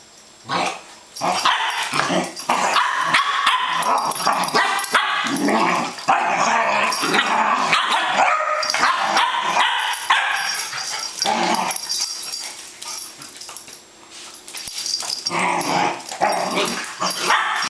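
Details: Holly the Welsh Springer Spaniel, a female, at play with Dexter in wet weather on 3 July 2012: a dense, almost continuous run of sharp barks, yips and throaty growls, easing briefly midway before picking up again.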